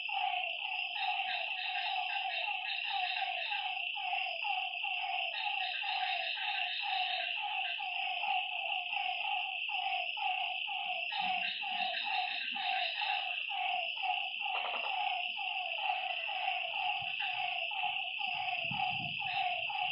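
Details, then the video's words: Night-time lakeside frog chorus, short twangy notes tumbling over one another in a continuous stream, with a steady high-pitched insect drone running throughout and a few soft low knocks late on. "Lakeside night creatures and frog sounds"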